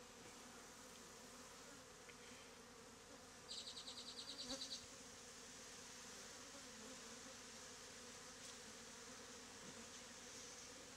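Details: Many honey bees clustered in a bee beard, taken from a statue hive in an Africanized area; an even, quiet drone throughout, broken by a short burst of rapid high pulsing about a third of the way in.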